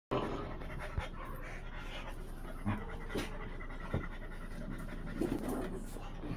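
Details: Blue Thai Ridgeback female playing with French Bulldog friends; fast, breathy panting runs throughout, broken by soft bumps and scuffles of rough play.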